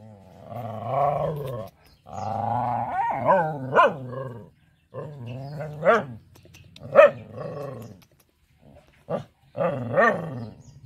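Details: Protective mama dog near her four puppies in a village, sounding off at someone trying to play with them: long drawn-out harmonic growls broken by short sharp barks at uneven intervals.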